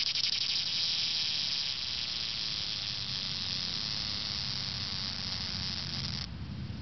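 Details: A summer cicada, recorded close up while hiding in Franconia, Pennsylvania, gives a loud, continuous high-pitched buzzing drone that stops abruptly near the end.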